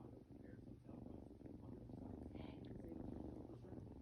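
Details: Eight-week-old kitten purring steadily, a soft low rumble that pulses continuously for about four seconds, with faint higher sounds flickering in the background.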